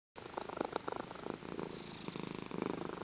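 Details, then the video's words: Champagne tabby cat, five-year-old female awaiting adoption, purring while being petted; a rough, pulsing rumble with rapid regular throbs, fairly loud, with some faint rustling in a small indoor room. "The Purr Heard 'Round the World"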